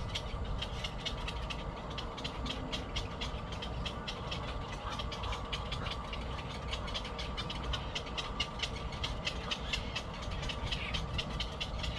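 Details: Rumbling train noise with steady rhythmic clicking of wheels on rails, and no animal voice.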